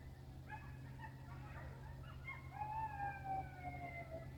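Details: Coyotes in a field give a chorus of high, wavering howls and yips that slide downward and overlap.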